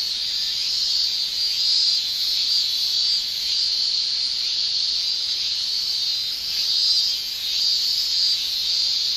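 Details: Summer in Japan, male cicadas producing a sustained high-pitched whirring drone that swells and eases in slow, uneven waves.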